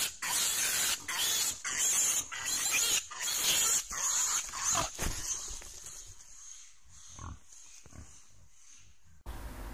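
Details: Wild boar piglet caught by a bear, screaming in distress before a large adult boar comes to its rescue; loud, harsh high-pitched squeals in rapid bursts for about five seconds, then fading and broken, with a steady high hiss throughout.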